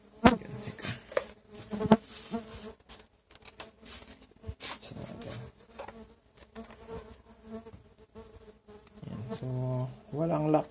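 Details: Stingless bees (Tetragonula biroi) of a boxed colony taken from a feral hive, at the first inspection one month after transfer: a steady low hum with layered tones, broken by sharp handling knocks and brief Spanish speech.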